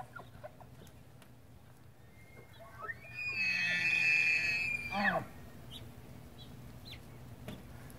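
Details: Bull Tule elk bugling during the rut beside his harem of cows, outside a wildlife refuge visitor center in central California, September 8, 2016: a tone sliding upward into a shrill, sustained whistle about two seconds long, then dropping abruptly.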